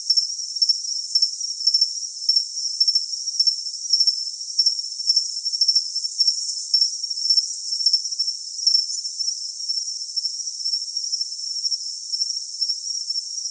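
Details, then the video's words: Crickets sound off for tinnitus masking in a steady, shrill high trill broken into quick chirp pulses about twice a second. A fainter, even higher dotted chirping runs alongside until roughly nine seconds. Everything sits high, with no low sounds. "Cricket Sound for Tinnitus Masking"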